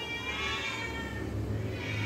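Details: Rescued street cat in Indonesia, one of two strays under veterinary care, gives a drawn-out, steady meow of about two seconds over a low background hum.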